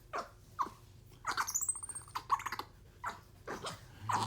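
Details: Pet capuchin monkey, excited and playful while biting, slapping and hugging its owner, giving short squeaky chirps and grunts in scattered bursts, with a brief high whistled glide in the middle, indoors.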